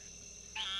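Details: An Eastern narrowmouth toad calling within a mixed breeding chorus of frogs and toads gives a sudden, nasal, buzzing bleat after a quiet start.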